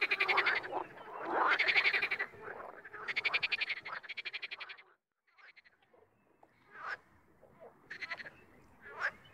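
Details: Wild frogs croaking in loud, rattling, pulsed bursts through the first five seconds, then fainter, more scattered croaks and short trills follow after a brief lull.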